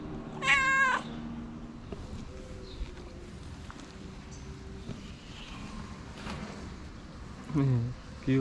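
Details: Friendly female stray street cat in Morocco meowing to say she is hungry: one loud, drawn-out wavering meow near the start, then quiet murmurs, then two shorter meows at the end, over low street background noise.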